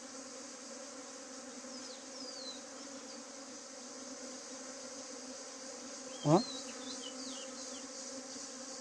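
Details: Honeybees in a hive, a swarm trying to leave while the queen is held back by a queen gate; steady low droning hum throughout, with a brief sharp knock midway.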